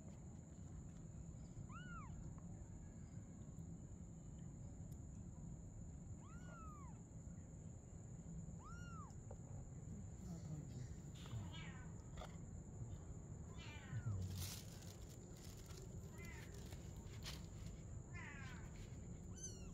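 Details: Mother cat and kitten playing together at night; several short arched meows spaced a few seconds apart over a steady low background hum, with a cluster of faint high calls near the end.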